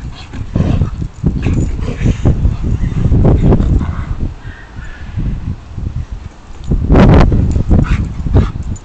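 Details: Pet Alaskan Malamute, recorded indoors on a phone, making a run of low, rough, grumbling bursts and short yips, loud and close, rising and falling irregularly with brief pauses, one sharp louder burst near the end.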